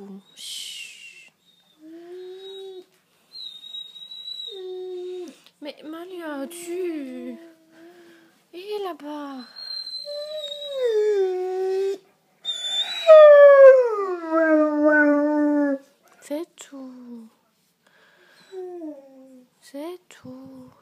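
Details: Great Dane Malia du Domaine de Kalkis howling indoors after her owner leaves: drawn-out, tonal, wavering howls, several sliding downward, separated by pauses, while a woman repeatedly says "c'est tout" and "chut" to quiet her.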